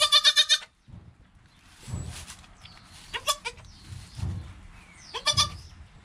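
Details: Within his first hour of life, newborn goat Joel, next to his mother Penny, recorded by GoPro, gives a loud stuttering bleat at the start, then thinner rising bleats between soft low thumps and rustling.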